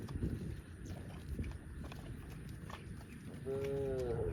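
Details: Tame cows roaming village streets toward the farm pen; a short harmonic moo rises near the end after a stretch of low rumbling street noise and faint clatter.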